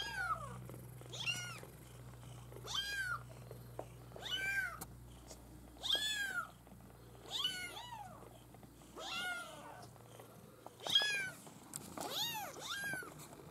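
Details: Maine Coon kittens of a breeder's U litter mewing repeatedly, high arched cries in bursts every one to two seconds, several voices overlapping with some shriller calls, against a faint low hum.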